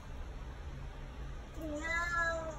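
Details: Male Bengal cat, very vocal and fond of chatting, indoors and annoyed that he can no longer escape over the back door: after a quiet pause, one drawn-out harmonic meow that rises, holds, then sags slightly at the end.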